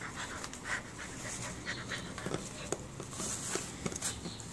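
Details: A 2.5-month-old Labrador Retriever puppy at play, panting in quick soft breathy bursts through a short stretch, with a person's voice and a few clicks and knocks indoors.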